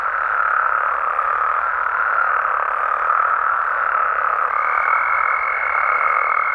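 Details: Mexican frogs and toads at night in their natural surroundings, their massed calls merging into a steady mid-range hum. After about four and a half seconds a thin, level higher tone joins and holds to the end.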